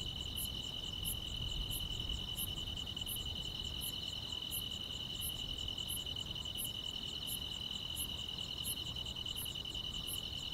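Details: Countryside grass insects singing through a summer night: an even, high-pitched ringing trill holds without pause while crisp upper chirps recur steadily about every 0.7 seconds.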